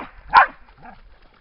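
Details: A single loud, abrupt bark from a dog by the lake at Lida Nature Reserve in summer, followed by a faint low sound.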